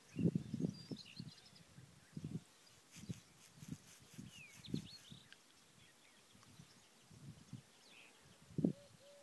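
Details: Low, snorting grunts from wild boars at the Nahal Yissachar stream come in scattered short bursts, with a sharper grunt near the end. Soft bird twitters and an occasional thin whistled note sound in the background.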